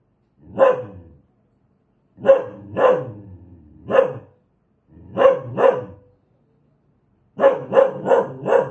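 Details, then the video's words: Angry dog barking in uneven groups, single barks, pairs, and a final rapid run of four, with a faint growl trailing one pair. "Suara anjing galak"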